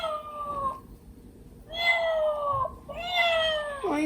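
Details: Milk, a pet cat at home, responds to a crying kitten doll and carries it by the scruff. Three drawn-out harmonic meows. The first slides downward, the second is long and steady, and the last glides down to a low ending.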